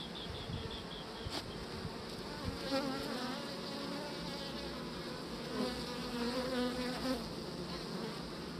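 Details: Honeybees on beeswax with the queen present, an even droning buzz throughout, with faint wavering tonal notes rising and falling within the hum.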